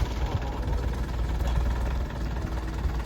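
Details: A heavy truck engine idles with a deep rumble while faint voices are heard in the background, and no animal sounds are audible.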